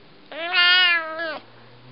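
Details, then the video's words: A male Siamese cat gives one long, harmonic-rich meow, rising then holding, while begging for food. He does this whenever he knows he is about to be fed. "Siamese Cat talks for his food."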